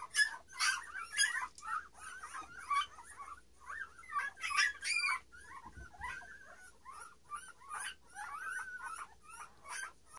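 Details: A litter of Standard Poodle puppies, nine days old, with their mother, filmed 21 March 2018 indoors; a constant chorus of shrill squeaks and whimpers from several pups at once, bursts crowding each other with only short pauses.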